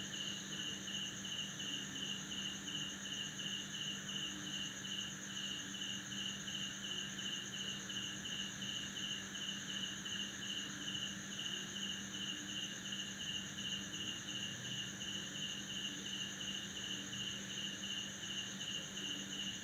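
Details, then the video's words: Male crickets chirping to attract females, made with their wings, at midnight in a backyard in Banda Aceh, Indonesia, right after a heavy December downpour. A long, very even train of quick pulsed chirps sounds above a steady high insect hum, with faint low croaks. "Crickets' chirping and Frogs' croaking"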